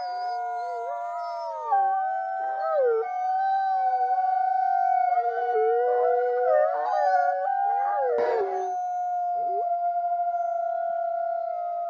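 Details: A group of wolves in a dense howling chorus, with drawn-out tones held level while other voices glide and waver beneath them. A brief rough burst comes near the end, and the howls then settle into long steady notes.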